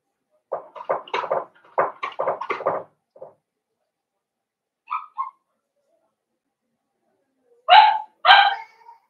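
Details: Young blenheim Cavalier King Charles Spaniel puppies, a litter of five born at New Year to Paris and Spike, kept in a home puppy pen; a rapid burst of squeaky yaps, a few soft yelps, then two louder, higher barks after a silence.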